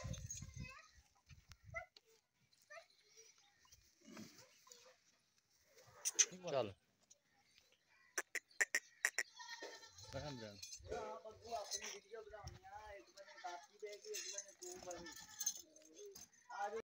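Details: Goat at milking time, with a calf drinking goat milk nearby, gives wavering, quavering bleats repeated over the last several seconds, mixed with people talking in Bengali and sharp knocking sounds.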